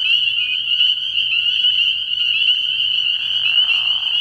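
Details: Night chorus of spring peepers at a frog pond early in the year, an unbroken high-pitched peeping band from many frogs, with a low raspy burst during the final second.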